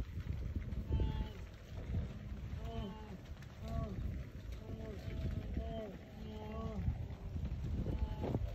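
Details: Large herd of wildebeest crossing a road during migration in Tanzania; many overlapping nasal calls with short rising-falling tones repeated irregularly over a dense rumbling background of hooves, wind and engine noise, with faint speech.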